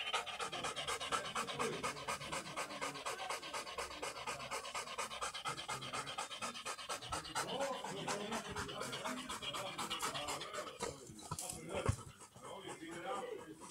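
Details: Black Labrador Retriever worn out after a long walk, panting in a steady breathy rhythm, about two huffs per second, with a person talking over the breathing.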